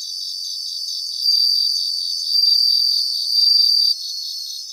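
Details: Bell crickets singing in grassland: a steady high-pitched pulsing chorus, with a louder ringing trill swelling in three drawn-out bursts of about a second each, then fading back into the background shimmer.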